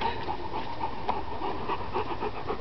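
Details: Bernese Mountain Dog at a garden party, panting in quick rhythmic breaths, roughly four per second, steady throughout, with a low background hum.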